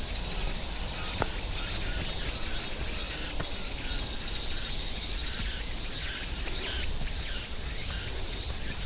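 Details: Cicadas and grass insects calling along the Namsan forest trail in central Seoul, South Korea: a steady, dense, high-pitched buzzing chorus runs throughout, with faint scattered footstep clicks from a walker on the path.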